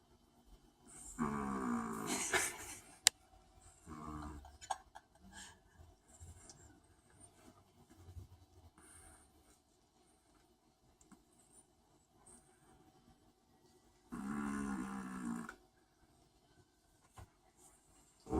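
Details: Snoring long-haired Chihuahua gives a couple of raspy, droning breaths far apart, with faint shuffling and a sharp tap in the quiet stretches.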